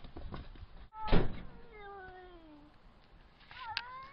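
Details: A cat gives a long, drawn-out meow that slides steadily downward in pitch, with a short higher call near the end, following a loud door-like thump amid background rustle.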